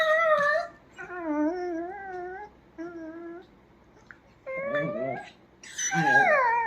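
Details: Pet dachshund whining in a run of wavering tonal cries, some long and wobbling, others short, ending in a louder higher yelp, with a woman speaking Bengali and calling the dog nearby.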